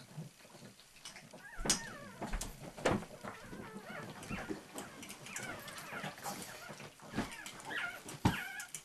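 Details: Female pug whining at a male pug to be let into the shared feed bowl at dinner: thin, wavering high whines that rise and fall, broken by sharp clicks and knocks, sometimes overlapping.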